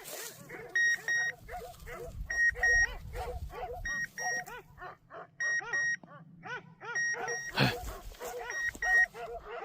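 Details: German Shorthaired Pointer on a hunt giving rapid, high yelping barks in long runs, overlaid by loud paired electronic beeps that repeat about every one and a half seconds.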